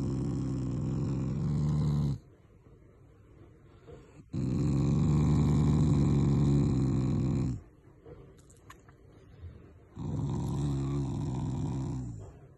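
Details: Pet Shiba Inu Taiga growls as a show of affection, not anger; three sustained deep rattling growls, each about two to three seconds long, with quiet pauses between.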